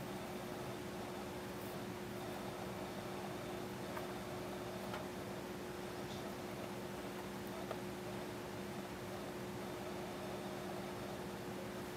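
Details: Steady indoor machine hum with a few faint ticks and no animal calls.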